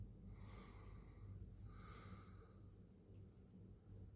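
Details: Short stretch of a cat's morning purr: an unbroken low, throbbing drone with two soft breathy swells on top, recorded inside a small, quiet room.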